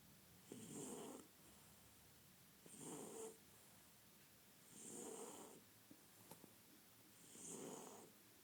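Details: Sleeping French Bulldog snoring rhythmically, four evenly spaced rasping breaths about every two seconds, each carrying a nasal rumble and a high whistling hiss, with short quiet gaps between.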